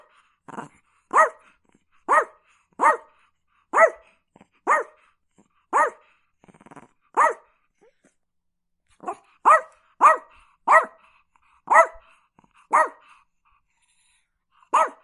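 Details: A Chihuahua barks steadily, with more than twenty shrill, sharp barks in quick irregular bursts and a brief pause midway. The background is clean and quiet.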